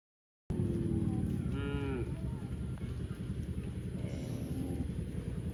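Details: A cow gives a drawn-out, harmonic moo lasting about half a second, then a fainter second moo, over constant low rumbling background noise.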